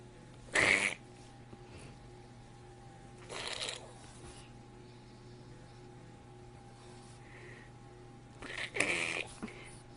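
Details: French Bulldog indoors making strange sounds: three short, harsh, breathy snorting bursts spaced a few seconds apart, with a steady low electrical hum between them in a quiet room.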